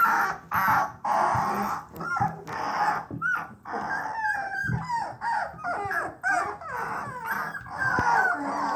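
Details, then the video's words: A litter of bluetick coonhound puppies, three weeks old, making early bawls: breathy, noisy whimpers alternate with brief sliding whines and little yips, the cries coming in pulses about once a second. "3 week old bluetick coonhound puppies starting to bawl"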